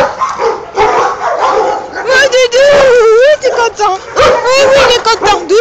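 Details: Happy, excited Boxer dog vocalizing: long wavering whine-howls that rise and fall in pitch, interleaved with short yelps, while a woman speaks French calmly, urging it to settle down.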